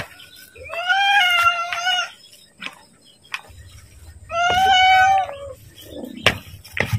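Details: Pet cat meowing for food at feeding time: two long, wavering meows about three seconds apart, with a low hum and a few clicks and knocks in the background.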